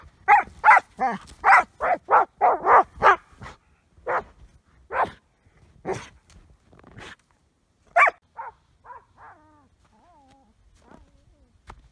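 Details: Obsessively playing with an ice chunk instead of its usual rocks, a border collie fires off a rapid run of about ten barks, then spaced single barks that taper into soft whines and quiet.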